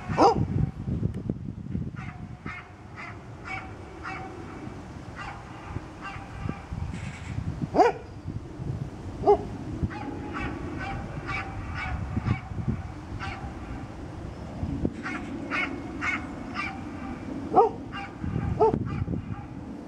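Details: Misty, an old dog, barking outdoors at Birkenhead Park on 10 July 2013: short sharp yaps in quick irregular runs, some spaced, over a steady low rumble of wind or distant traffic.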